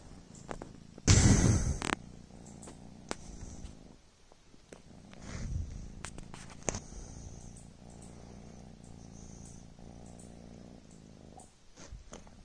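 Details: Sleepy Devon Rex kitten Coco gives a low rumbling purr under a brief loud rustle near the start, then settles into a soft, continuous vibrating purr with scattered small clicks and handling noises.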